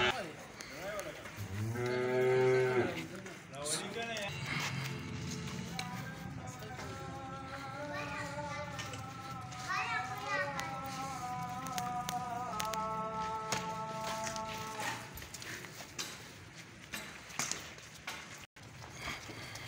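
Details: Friesian-Jersey heifer calves from a group of fourteen, one giving a deep bellowing moo early on, followed by long drawn-out tonal sounds, amid voices and background noise.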